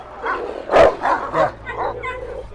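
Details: Giant Malaklı shepherd dog visited at its home in Ankara, Turkey, barking in short loud bursts while a man calls it to come, with men's voices around.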